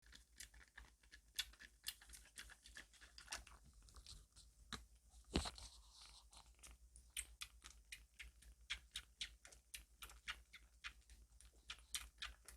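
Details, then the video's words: Kitten drinking formula milk with fierce appetite, indoors: quick wet smacking and lapping clicks, several each second in an uneven steady run, with one louder rustle midway. "새끼고양이 찹찹찹 a milk eating kitten"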